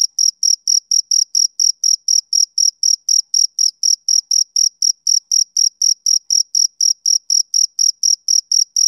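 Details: A male cricket on a summer evening chirps in a fast even rhythm, roughly four shrill high pulses every second, continuing uniformly for the whole stretch against complete quiet.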